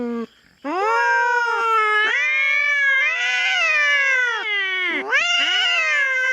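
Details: Feral cat squaring off with a black cat on a Philippine farm after intruding on its territory: a continuous harsh, wavering yowl lasting several seconds with quick pitch dips and swells.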